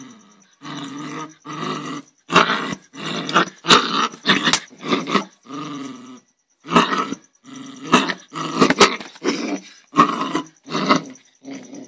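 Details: An angry dog snarls and growls in rasping, throaty bursts that come back to back, several breaking into sharp barks near the end. A thin continuous high-pitched tone runs underneath.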